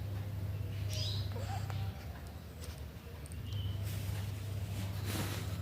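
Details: Sleeping British Shorthair cat snoring: a low, steady rumbling drone in two long stretches, quieter in between, with brief faint chirps of birds above.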